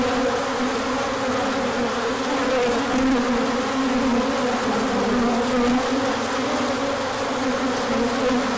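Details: Large orientation flight of bees on a sunny day after colder weather, March 2024; thick, unbroken buzzing chorus of countless wings, individual tones rising and falling within the steady drone.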